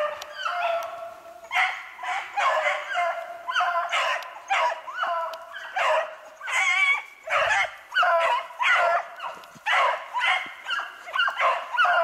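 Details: Hunting beagles on a snowshoe hare track, 8 March 2016. Steady rhythmic chorus of yelping bays, roughly two per second, from more than one hound. Bright, ringing notes and brief lulls.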